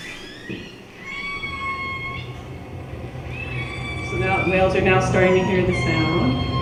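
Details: Killer whales give rising, bending harmonic calls near the entrance to Kitimat on the tanker route, then a ship's low rumble grows beneath them.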